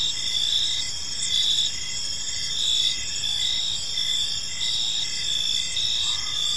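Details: Crickets chirping in a peaceful park as evening unfolds. Several high, steady trilling voices overlap, with a lower pulsed chirp repeating about once a second. A faint rising tone appears near the end.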